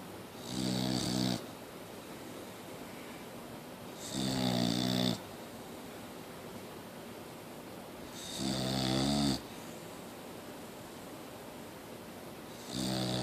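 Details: Boxer dog Mia snoring steadily: four loud, rasping snores spaced about four seconds apart, each roughly a second long with a deep buzzing rumble and breathy hiss, silence between breaths indoors.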